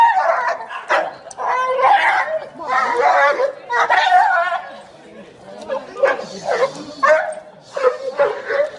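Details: Pet dog Zoey, excited and hard to control on meeting her owner back from a long time abroad, gives rapid high yelping whines in bursts of about a second, overlapping with people's excited voices and cooing.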